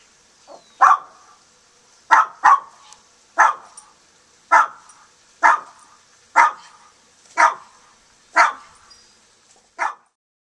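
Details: Steady barking from Nikki, a guard dog keeping a young hungry hawk away from caged doves: about ten sharp barks, roughly one per second, some closely doubled.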